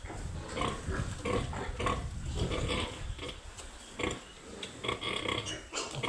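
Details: Several piglets squealing and grunting in short bursts, roughly one or two per second, with a few sharper high squeaks over a noisy pen-like background.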